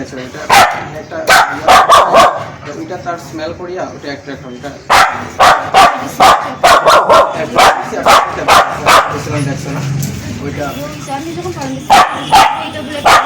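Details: Aggressive Spitz dog delivering volleys of harsh, punchy barks, a quieter stretch in the middle, then a long rapid series of barks before a few final ones.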